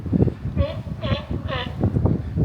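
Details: Distant sea lions on a floating island offshore near Long Beach, California give three short, honking barks in steady succession over a low rumble of wind.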